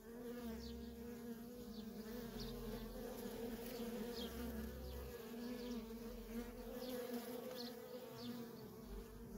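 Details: Nonstop flight of worker honey bees at a feral colony, a full steady buzz of many wings with scattered brief whines from bees passing near and soft low rumbles beneath.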